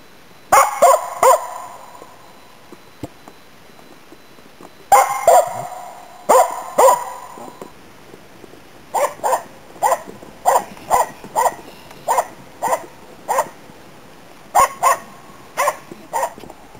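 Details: Finnish Spitz named Nella barking while hunting waterfowl and game birds in autumn 2010 in Inari, Finland: sharp harmonic barks in bursts, first loose clusters, then a steady series roughly every half second, pausing before a final run.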